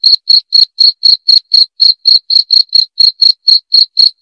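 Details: Cricket sound intended to chase away rats: crisp, high chirps pulse evenly at about four per second, with a clear, noise-free background.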